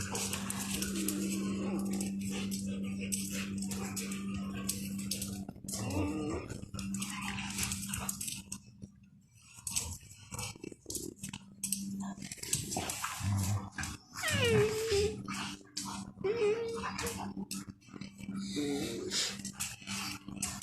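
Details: Dogs playing outside, giving short rising whines and yelps amid scuffling, with a steady low hum throughout and a brief quiet stretch near the middle.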